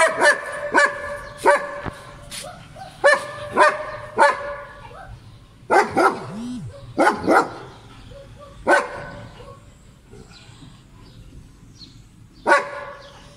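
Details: German Shepherd dog in Pakistan, filmed while playing: sharp, harmonic barks come singly and in quick pairs, about a dozen across the stretch, with pauses growing longer toward the end and faint background voices.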